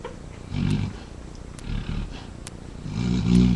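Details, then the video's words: A yellow Labrador Retriever mother snores in her sleep while two of her puppies nurse and another dog sleeps nearby. Three low, rough, rasping snores come at intervals of about one to one and a half seconds. "Kylie snoring while two yellow lab babies nurse."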